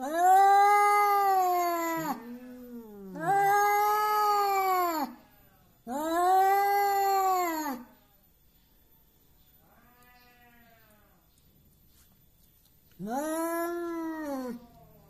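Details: Hostile domestic cat, said to act brave and intimidating though it loses when challenged, caterwauls in long wavering yowls, three close together, a faint one, then another after a pause.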